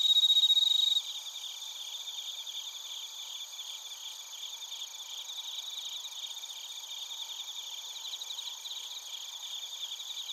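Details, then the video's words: Chorus of bell crickets and other crickets in Narita, Chiba Prefecture, Japan, captured on a TASCAM Portacapture X8. A brief loud ringing tone opens, then a steady, high, finely pulsed trilling continues from many overlapping insects. "スズムシとコオロギの鳴き声 - Chirping of crickets"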